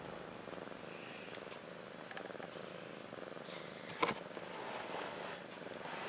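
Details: Mother cat Ashley, about a year old, purring beside newborn daughters Maggie and Rose (born March 30th 2013); an even, buzzing pulse runs for six seconds, broken by a sharp handling knock midway.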